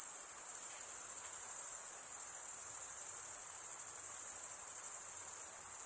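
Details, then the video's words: Forest crickets on a summer night produce an unbroken piercing high trill, evenly loud and pulsing slightly, with a low murmur of background hiss and nothing else distinct. "Pure cricket music for 20 min"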